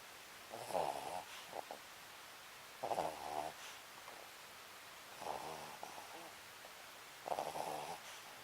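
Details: Snoring from a sleeping Papillon called Sakura: four rough, vibrating intakes roughly every two and a half seconds, followed by softer breathy outbreaths, indoors with no other sounds.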